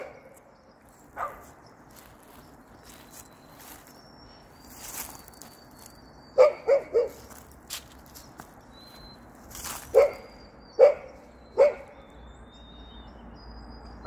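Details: Golden Retriever, described as hopping, outdoors with footsteps and rustling, giving a few scattered barks, then clusters of three sharp barks late on.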